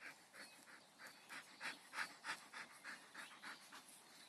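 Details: Dog named Kamai, reported as gone and being called by name, panting: soft, breathy bursts repeated steadily at about three per second, with a faint background hiss.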